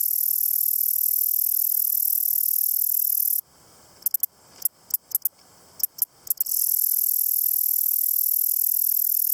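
A grasshopper gives a steady, high-pitched hiss that breaks off into scattered dry clicks, then resumes.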